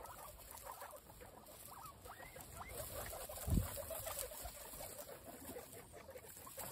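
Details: Pet guinea pigs, all female, munching apple together: brief rising squeaks repeated over steady crunching, plus one short low thump midway.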